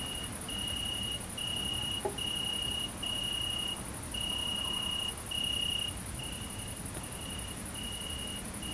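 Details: Great green bush-cricket, Tettigonia viridissima, filmed at mating time in central French countryside, 22 August 2016: unbroken very high sizzling buzz throughout, overlaid by a lower piping tone sounding in regular bars of under a second with short gaps.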